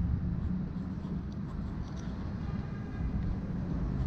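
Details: Outdoor rumble of passing vehicles dominates, a deep continuous roar with no animal sounds.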